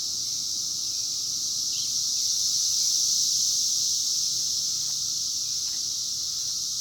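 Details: Massed cicadas calling during the 2021 emergence, an even, shrill wall of sound that drones on without pause, swelling slightly midway, with a few faint soft chirps beneath.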